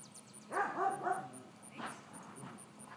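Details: Georgia, a four-month-old female miniature dachshund puppy, during training to walk on a leash and stay calm when interacting. She gives a quick run of three whiny, high yips, then softer trailing whimpers over a quiet indoor background.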